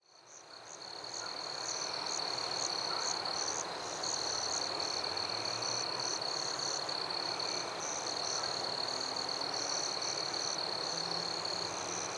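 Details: Crickets and other insects calling in a forest at night: a steady, unbroken high trill holds one pitch, while even higher rapid pulsed chirps repeat several times a second over a dense insect hiss. Opens with a quick fade-in.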